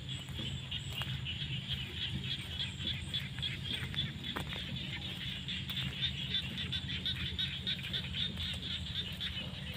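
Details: Frogs calling in fields at sunset during the rainy season: a dense chorus of rapid pulsed croaks, roughly three or four per second, over a steady high insect-like hum and low rumbling background.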